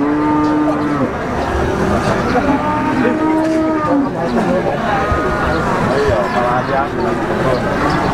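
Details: Peranakan Ongole cattle at the Wagenan livestock market in Pati: several low, drawn-out moos overlap with rich harmonics, over constant market crowd noise and passing vehicles.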